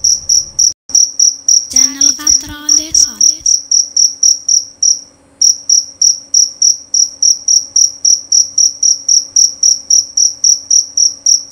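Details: Shrill, clear chirping of a male jerabang cricket, fast and regular throughout. Early on, a brief lower-pitched voice-like sound rises over the chirps, and the song pauses briefly before continuing steadily.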